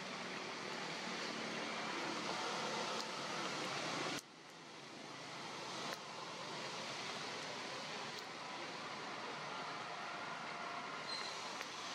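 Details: Steady broadband rushing noise like wind or surf, with a brief dip near four seconds and a few faint clicks, and no animal voice.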